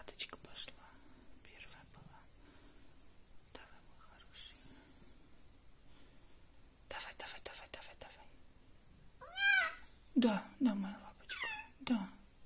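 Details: Jessie, a female cat giving birth at home, calls out during contractions. After a stretch of whispering and rustling come several strained, harmonic meowing cries in quick succession, overlapped by a soothing voice saying yes.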